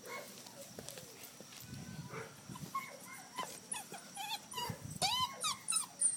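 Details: Red rust Doberman Pinscher puppy playing outdoors: thin, high whiny whimpers and short yips with sliding pitch, sparse at first and then bunched in the last seconds, over steady rustling and scuffing.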